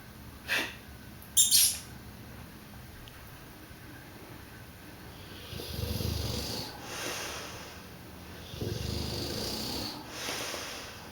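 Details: A pet male Dogue de Bordeaux asleep, snoring in deep, breathy rasps that swell and fade around six and nine seconds, plus a short click early on and a steady high electrical whine.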